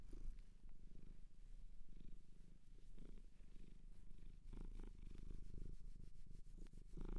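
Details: Shelter cat adopted in Japan purring close up, a steady low rumbling purr throughout with soft pulsing rhythm and a few faint clicks.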